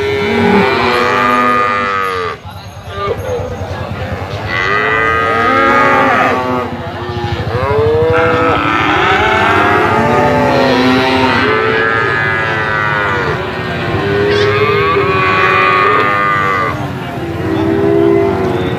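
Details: Brahman bulls lowing in repeated arching moos, several animals overlapping, with a short break early on and faint talk near the end.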